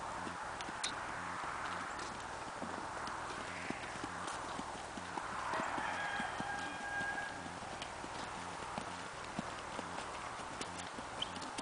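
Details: Hoofbeats from a Tennessee Walking Horse cantering naturally in a smooth rocking chair gait, rapid uneven thumps and clicks continuing throughout, over steady wind-like noise with a faint distant tonal call near the middle.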